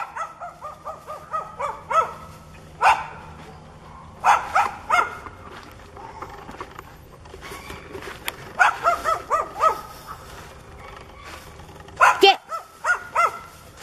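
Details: Hostile neighbourhood dog, barking and growling while charging at a person; runs of quick, repeated barks in clusters with short pauses, some drawn into wavering yelps, over faint background hum.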